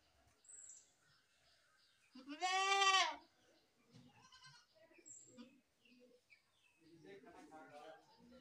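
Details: Goat, described as a baby goat, letting out one loud wavering bleat of about a second, followed by softer scattered calls and background noise.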